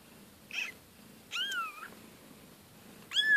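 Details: Siberian kittens from a litter of two mothers, indoors, giving three high thin meows, the middle one drawn out and wavering, the last rising sharply, against a faint room hiss.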